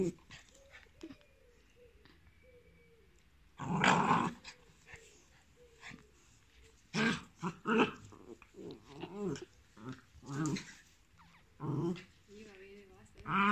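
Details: Thor, a one-year-old male pit bull of about 30 kg awaiting adoption in Cremona, Italy, indoors; a loud rough burst comes early, then a string of short, harsh growling bursts every second or two, with people talking over them.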